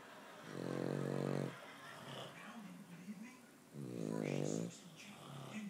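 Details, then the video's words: Boston Terrier snoring together with its owner indoors: two long, buzzy, harmonic snores about three seconds apart, each roughly a second long, with softer wavering rumbles of breathing between them. "the Boston Terrier, and Dad snoring in harmony"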